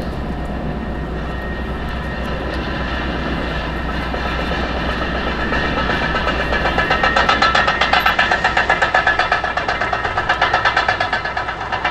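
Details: A passing train rumbles, its wheels clattering in a rapid, regular clickety-clack that grows louder toward the end.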